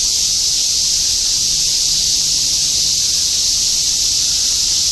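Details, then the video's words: Shinjuku, Tokyo, summer 2016: cicadas in a continuous chorus, an even, intense high hiss that holds steady throughout with only a soft low urban hum below. "Continuous chorus of cicadas in Shinjuku ～ 2016 新宿 蝉しぐれ"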